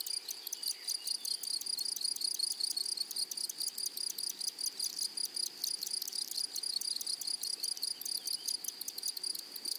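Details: Meadow grasshoppers in flowering prairie grass give a dense, high-pitched trill of rapid, closely packed pulses over a continuous thin whine. The chorus is steady throughout with no other clear sounds.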